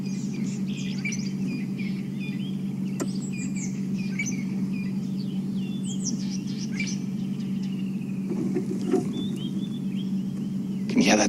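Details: During a morning safari game drive with lions nearby, a squirrel gives sharp, repeated chirping calls over the steady low hum of the vehicle's engine.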